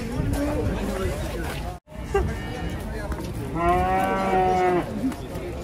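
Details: Emaciated cow, described as only bones but still alive, gives a loud, drawn-out harmonic moo of about one second near the end, after a fainter low moo at the start; people talk nearby and there is a brief gap in the sound.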